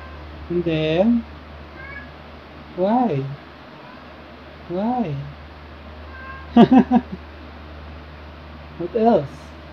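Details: Repeated meows from Luna the black cat and Angel the tabby, recorded 2018–2021: five or six wavering, rising-then-falling calls about two seconds apart, some sharper and more broken, over a low background hum.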